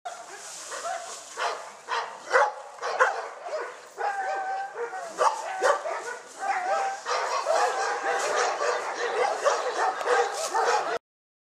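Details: Central Asian Shepherd x Sarplaninac cross, a livestock guardian dog, barking during a guard and courage test while defending against a man: rapid, harsh, deep repeated barks mixed with snarls, growing denser and more continuous toward the end.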